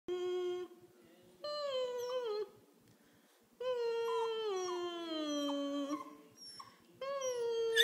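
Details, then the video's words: An 11-week-old female Pembroke Welsh Corgi gives drawn-out, wavering howls with short pauses, starting to mimic her owner's whining and howling. "Pandora does her corgi howl"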